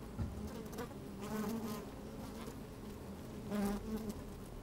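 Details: Working honey bees in an opened hive, sunny day with some wind: a dense low hum broken by two louder buzzy swells a couple of seconds apart, with crackling of bodies moving about.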